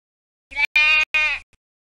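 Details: Ewe, a female sheep, bleating three times in quick succession, each bleat bright, nasal and strongly harmonic with a wavering tremble, the middle one longest, against a quiet background.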